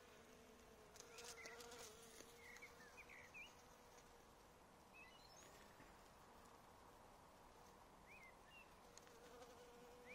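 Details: Honey bees in an apiary given caffeine, a steady low buzzing hum with a droning tone near the bottom, overlaid by short chirping bird calls and faint clicks.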